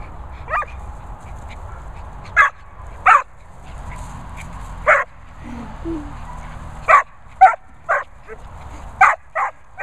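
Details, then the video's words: Vizsla vocalising with a Bichon present, funny household scene: short sharp barks and yips scattered in irregular bursts, about two dozen a minute, over a low steady hum. "Vizsla Vocal"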